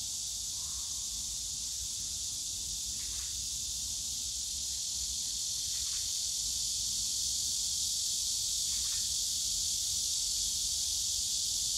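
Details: Cicadas calling on a summer day in the bamboo forest of Yongsan Family Park, sustained high shrill drone filling the air without a break, a low distant park rumble underneath and a few brief faint chirps standing out.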